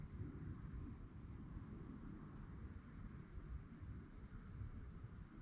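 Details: Night-time crickets keep up a continuous high pulsed chirping, evenly beaded and never pausing, while a heavy low rumble fills the background.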